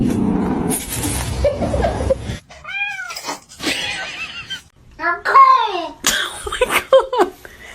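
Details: Domestic cat in a funny cat compilation giving several short arched meows, rising then falling, amid people talking and laughing, with music and bursts of noise between calls.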